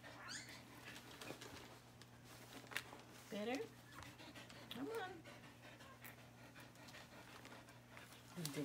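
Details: Newborn puppy in a litter being whelped indoors, complaining with short high squeaks at about three and five seconds, rising then dropping, amid a woman's soothing talk and the mother dog's soft panting.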